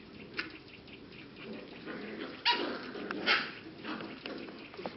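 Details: Young English cocker spaniel puppies, aged 6 to 7 weeks, from the Czech z Blatova kennel, giving a few sharp, bright yelps and squeaks at uneven intervals, with softer scuffling and murmuring between them.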